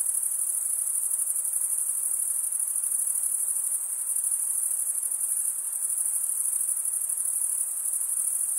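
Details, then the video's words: Crickets stridulate in an uninterrupted high-pitched drone, finely pulsed and steady in volume from beginning to end, over a faint quiet hiss. "Most relaxing cricket sound"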